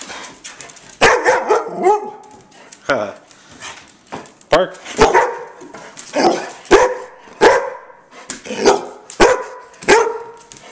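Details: Puppies barking, said to miss their mother: a run of about a dozen sharp, yappy barks at irregular intervals of roughly half a second to a second. A person's voice gives commands between them.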